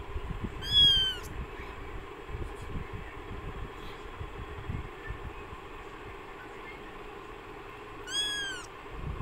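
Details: Newborn kittens in extreme hot weather, close to fainting; just two short, high, thin meows, one near the start and one near the end, separated by a long stretch of low rumbling background noise.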